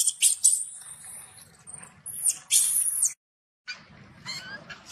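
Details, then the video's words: Baby macaque denied milk by its mother, shouting in anger: piercing high screeches, a few short ones early, then two longer drawn-out shrieks, a brief silence, and softer squeals near the end over low background hum. "The mother monkey refused to give the baby monkey milk, the baby monkey got angry and shouted loudly"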